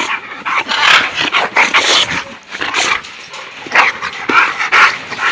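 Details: Backyard play session with an American bulldog among other dogs: rough, breathy barks and growly bursts at an irregular pace, some louder peaks, with human voices mixed in.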